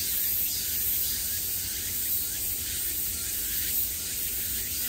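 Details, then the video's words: Cicadas buzzing at the height of summer, heard from every direction: a dense, unbroken high-pitched hiss-like drone, steady in loudness with gentle swells, over a faint low rumble. "매미소리를 들으며 휴식. Cicadas's buzzing sound"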